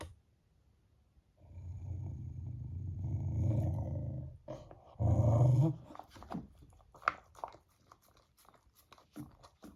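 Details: Beagle named Teo, eating cod-flavoured ice cream indoors and growling, angry because someone teases him with food. A low rumbling growl lasts about three seconds, then a shorter, louder growl burst, followed by faint clicky licking and smacking sounds.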